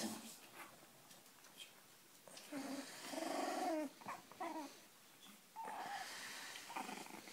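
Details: Cavalier King Charles Spaniel in Spain giving short tonal whines and whimpers, rising and falling in brief bursts, with soft breathing noises and a person speaking Spanish to it nearby.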